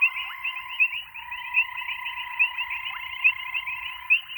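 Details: A grey foam-nest tree frog (Chiromantis xerampelina) gives a steady, buzzy, rattling call that swells in regular pulses.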